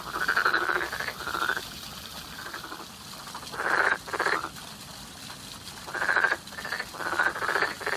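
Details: Frogs calling in spring: bursts of rapid, rattling croaks, each lasting about half a second, repeated in uneven clusters over a quiet, steady background.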